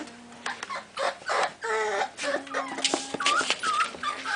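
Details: American Staffordshire Terrier puppies of an FCI-registered litter, sired by SMILING WILL Escort out of VICKY Sentinel, giving overlapping high, thin whining whimpers with short whistled rising and falling notes in quick irregular succession, several pups calling at once.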